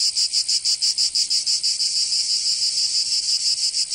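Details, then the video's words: Summer cicada chorus from Provence in the south of France, a shrill grating drone broken into rapid regular pulses, slightly blurring toward the end as voices overlap. "Canto Cigarra 🦗 [ Escuchar les cigarras en verano 10 H]"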